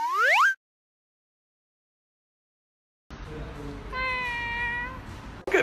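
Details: Cat meowing: a short rising-falling meow at the start, then after a silent gap a drawn-out steady meow of about a second, amid background hiss.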